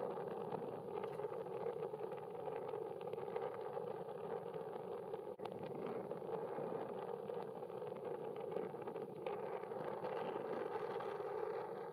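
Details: Steady engine hum of an idling vehicle fills the whole stretch, with no animal voice standing out.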